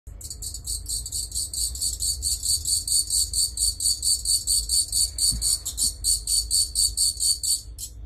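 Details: A pet katydid makes what its keeper calls a happy sound, a dry, buzzy rasp pulsing rapidly and steadily, with a low hum underneath.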